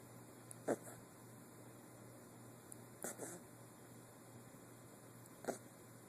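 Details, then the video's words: Sleeping 8-week-old puppy Guinness snores in soft rasping bursts roughly every two and a half seconds; three breaths heard against a constant electrical hum. "Guinness snoring away!"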